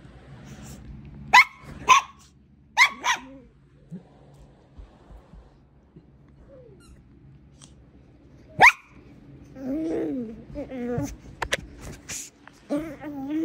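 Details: Brussels Griffon pups share excitement at play. Short, sharp barks come in a burst of three, then a long quiet gap and one lone bark, then wobbling whines and yelps near the end.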